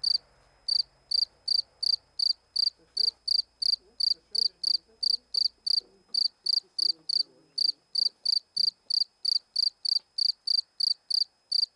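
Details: A cricket, having crept out fully beside a stone near a small dish and close to the camera, gives steady, high, ringing chirps, about three each second, with faint room noise underneath.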